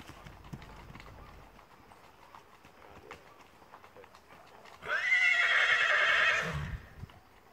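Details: Mangalarga Marchador horse giving one loud, harmonic whinny about one and a half seconds long, tremulous and slightly falling, after a quiet stretch with faint hoof clops and rustling.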